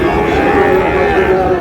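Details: At a busy livestock market in Bangladesh on 18 June, Sahiwal bull calves about eight or nine months old are traded; a short, loud, sustained moo fills the moment, backed by a murmur of market voices.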